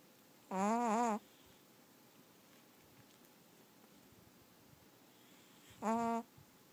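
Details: Casey, a pet Chihuahua sound asleep, gives two tonal, whistling snores with a buzzy harmonic ring, each lasting about half a second and spaced roughly five seconds apart, with quiet breathing-level hush between them.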